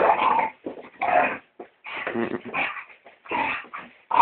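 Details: Lola, a female Staffordshire terrier, attacks a house brush during housework. Short throaty growls and whiny yips come in ragged bursts with brief pauses between them.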